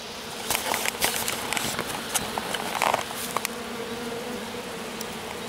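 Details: Small honey bee swarm settled in grass after the colony swarmed, a few workers staying with the queen while the rest return to the hive; steady droning hum with scattered clicks and crackles on top.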